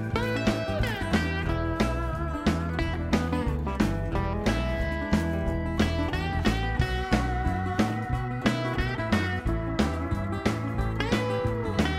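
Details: Bluesy electric guitar music with a steady beat and bass line fills the recording, with no animal sounds.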